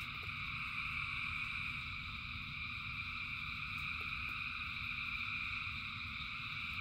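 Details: Dense frog chorus during rain: countless callers merge into a steady, high buzzing trill in stacked bands, never pausing, while a broad low rumble runs underneath with a few sharp taps.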